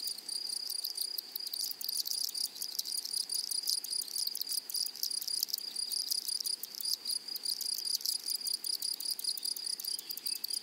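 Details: Meadow grasshoppers stridulating, a dense, bright, high buzz running without pause, rapidly pulsed and layered from several insects, slightly louder and steadier than the surrounding quiet.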